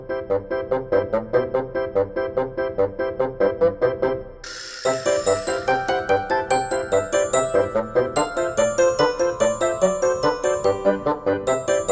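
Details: Gentle keyboard music with regular bell-like piano notes plays throughout, with a brief break and a brighter chime passage after four seconds; no animal voice is heard.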